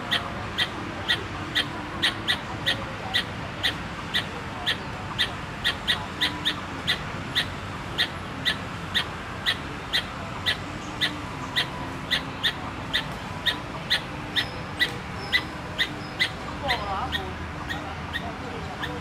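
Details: A squirrel at Tainan Park, Taiwan, 13 October 2015, keeps up an insistent series of sharp clicking chips, about two each second, while a brief bird twitter and low city noise sit underneath.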